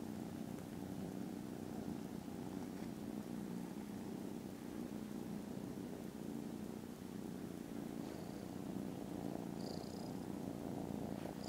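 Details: Foster kittens, content and dozing after lunch on 18 December, give a continuous low buzzing purr that never breaks, very loud and even, with a faint high chirp near the end.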